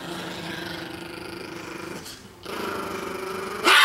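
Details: Leon, a two-year-old 4 lb Chihuahua, guards a T-bone steak bone from a fawn Doberman named Gza-gza after biting the camera. He gives a steady, low, droning growl, then a brief pause, then more growling that ends in a sharp burst.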